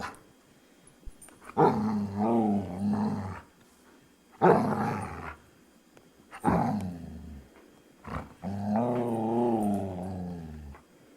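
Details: Luca, a talkative foster dog, makes four separate drawn-out harmonic grumbles, each lasting one to two seconds and separated by short silences. The voice is deep and moaning, with a wavering pitch.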